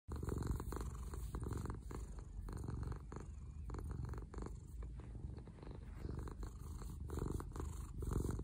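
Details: Orange cat named Dahuang purring while lying on its owner in the morning: a steady low rumbling purr with rhythmic pulses throughout, indoors and quiet.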